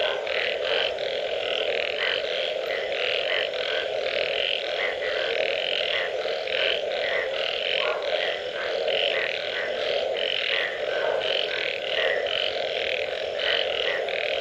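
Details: Post-rain frog chorus with many animals: a continuous humming background and crowded, rapid croaks pulsing unevenly across the whole stretch, and no other sounds stand out.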